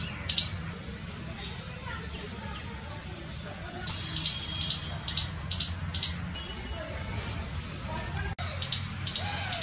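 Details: In Jammu and Kashmir, India, a baby Indian palm squirrel on a tree, eating bread, gives sharp, very high chirps in quick runs over a low background rumble; a mother squirrel also chirps.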